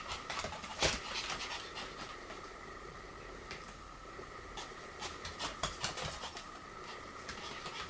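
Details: Pomeranian 'kung fu' play fight: fast irregular panting puffs, about two or three per second, with light scuffing taps and a faint continuous background hum.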